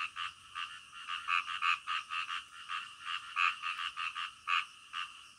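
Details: In the middle of the night, frogs give bursts of short, grating croaks in clustered pulses, several per second, rising and falling in loudness.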